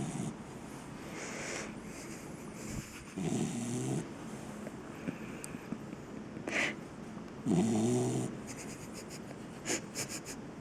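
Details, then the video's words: A 7-month-old English cocker spaniel, tired and asleep, snoring: soft low rasping breaths rising and falling every few seconds, with a louder snorting breath near the end against a faint steady background hiss. "I'm so tired mom! (My lovely cocker spaniel is snoring)"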